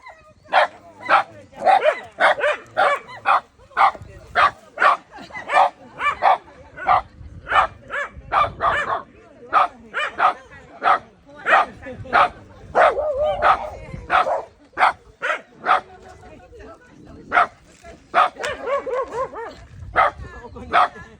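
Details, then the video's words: Shimeji the Shiba Inu keeps up a long barrage of sharp barks at a gorilla, about ninety a minute at an irregular pace, with some denser, voice-like stretches. "ゴリラ vs 柴犬 シメジ"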